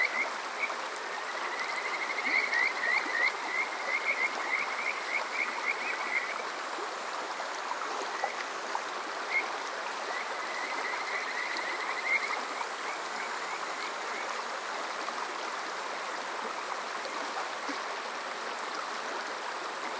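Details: Kajika frog calling on a summer night at Water Park Shirayama, Yokoze, Chichibu District, Saitama, Japan, recorded on a TASCAM DR-05X: a quick burst of short rising whistled chirps early on, then sparse faint notes over steady stream rush.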